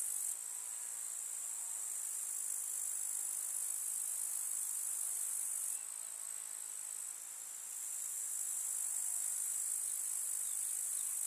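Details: Meadow grasshoppers in summer countryside, a constant high shrill buzzing chorus that briefly weakens near the middle before swelling back to full strength.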